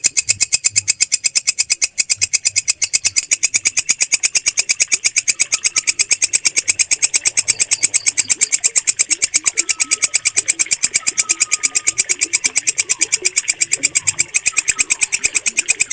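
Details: Walang kecek, a bush cricket, calling clearly and loudly, its stable voice valued by bird keepers for song training. Metallic, high-pitched chirps pulse in a long, regular series, with faint whistles and low thumps in the background.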